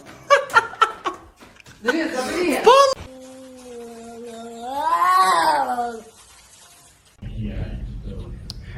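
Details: A cat indoors gives one long drawn-out meow that rises and then falls, after bursts of human voices and laughter; a low hum follows.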